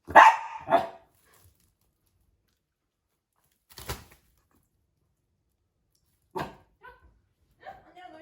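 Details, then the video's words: A puppy startled by an invisible wall lets out a loud double bark at the start, then quieter knocks, a short yelp and brief high whining sounds in a still room. "투명벽에 당황한 강아지들"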